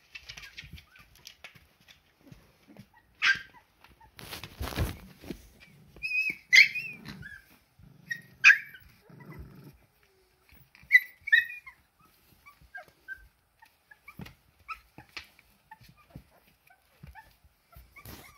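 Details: Young Siberian Husky puppies trying out their first steps. Short, high, wavering whines and squeaks come in scattered bursts, mixed with paw thumps, scuffling and rustling on the floor.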